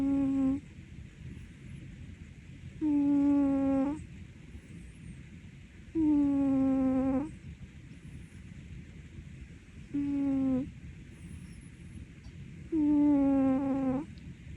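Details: Ragdoll cat snoring: five smooth, humming snores, each about a second long and slightly falling in pitch, come roughly every three seconds over a soft background hiss.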